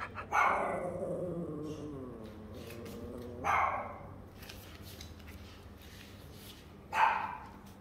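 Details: A Yorkshire terrier gives three loud vocal bursts roughly 3.5 seconds apart. The first trails into a long, falling, harmonic whine lasting about two seconds. The later two are short and sharp, with a low background hum throughout.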